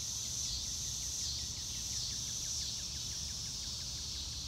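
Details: High, shimmering cricket chorus recorded outdoors in real time on a blue-sky day, with no music: a constant ringing drone, faint quick downward chirps scattered throughout, and a light low rumble.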